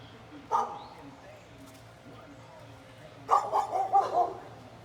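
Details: A neighbour's dog barking at someone's leaf blower: one sharp bark, then about three seconds later a quick cluster of several barks, over a low, steady background hum.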